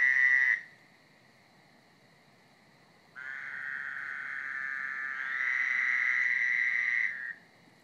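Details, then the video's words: Frog chorus at night in a backyard: a loud trilled burst, a pause, then a long sustained rattling trill of overlapping callers lasting about four seconds that grows louder midway before stopping abruptly. "Friday Night Frog Chorus"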